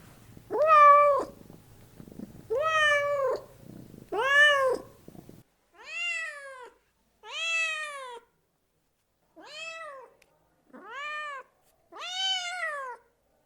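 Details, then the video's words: Nine short, arching meows from cats. The first three sit over a low hum and the rest come in near silence, grouped in twos and threes with gaps of about a second. "Kittens and cats meowing voice"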